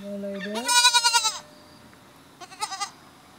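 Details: Baby goats with a man they like to cuddle and climb on: one loud, drawn-out, wavering bleat with a rising start, then a shorter, quieter quavering bleat about a second later.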